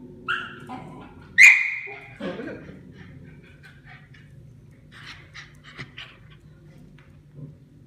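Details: Pet dogs playing together, a Bichon-Schnauzer mix and Korean Jindo dogs; a short high whine near the start, then a sharp yelp sliding into a drawn-out whine, followed by quieter scuffling, clicks and faint rustling.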